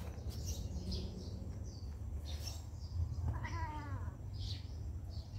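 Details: A single short, falling meow from a cat at a pagoda, partway through, while high bird chirps flicker throughout and a low continuous rumble fills the background.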